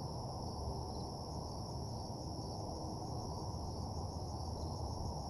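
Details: Crickets at night in a desolate parking lot, an even, high continuous chirring with slight pulsing, set against steady low mechanical-sounding ambience.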